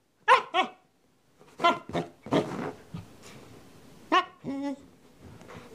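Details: Very young Northern Inuit puppy Deimos throwing a tantrum because he did not want to settle: high yappy barks in pairs and short bursts, a whiny yelp near the end, quiet gaps between.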